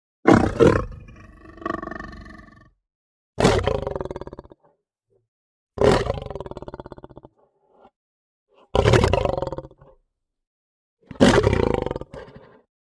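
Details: Lion roaring in a series of five powerful, harsh bursts roughly every two and a half seconds, each starting loud and breaking into a fading, juddering rumble, silence between.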